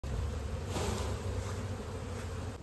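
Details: Honey bees at a bee farm in an Indian village where natural honey is collected: a steady low droning hum, with a brighter rushing swell in the middle of the clip.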